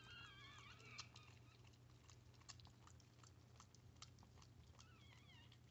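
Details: Freshly born Chihuahua puppies squeal beside their mother during a birth, close indoors: a run of thin, wobbling high cries at the start and again at the end, with soft licking and chewing noises and a constant low hum between.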